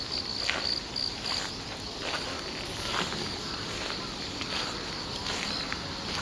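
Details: Insect song recorded on 10/8 alongside crows: high pulsed chirps in a rapid series during the first second and a half, then a fainter continuous shrill drone with sparse clicks over low background rumble.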